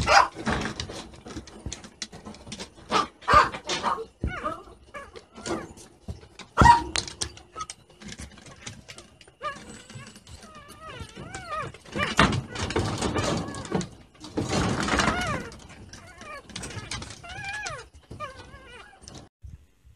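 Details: Shiba Inu reacting to a smartphone's incoming call, giving scattered sharp barks early on, then wavering, drawn-out whining tones around the middle, with faint human speech in the background.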